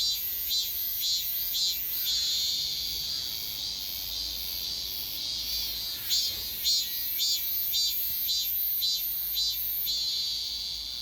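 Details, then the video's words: Robust cicada heard again after one year at Daegok-ri, Gapyeong County: strident high buzzing song throbbing in regular beats roughly twice per second throughout, with faint low background hum. "가평군 대곡리 1년만에 다시 찾아온 참매미"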